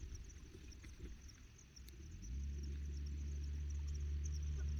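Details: Crossbred Charolais cattle grazing freely on ruzi grass at an organic hillside farm in Mae Chaem, Chiang Mai, Thailand. After quiet pasture ambience, a deep, steady moo starts midway and holds low and droning to the end, with a faint high insect hum throughout.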